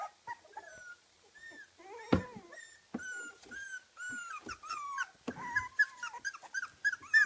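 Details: Kooikerhondje puppies 24 days old at a kennel in Sweden, making high whimpers and squeals: rising and falling whistled whines in overlapping bursts, several pups calling at once, with soft rustling indoors.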